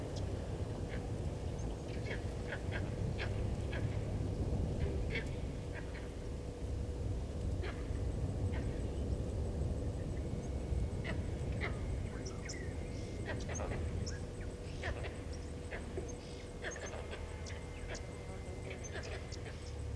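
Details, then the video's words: Upset vervet monkeys at a waterhole in Sabi Sand Wildtuin, South Africa, reacting to a passing male leopard named Hosana, 08/04/19 at 16:52; sustained run of abrupt barking chirps, irregular, amid constant low rumble and a faint steady hum. "Leopard-Hosana male on move upsetting Vervet Monkeys"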